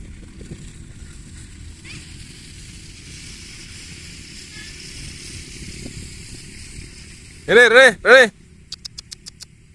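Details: Young Bligon goat buck, a future breeding sire, let out of its pen onto an open field for exercise; two loud, harmonic, wavering bleats in quick succession near the end, over rural background noise with passing vehicles and faint clicks.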